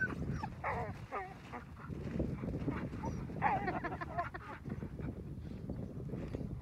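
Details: Sled huskies in the snow at Akureyri, Northern Iceland, excited to get going before a dog-sledding trip; high wavering whines and yelps come in short bursts over steady low rumble and voices.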